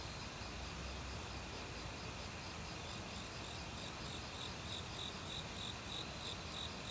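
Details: Autumn crickets in a forest, calling loudly for a week among various other insects, recorded without professional equipment: faint, high pulsed chirps repeated in rapid, steady series, partly masked by the constant broad rush of a mountain stream.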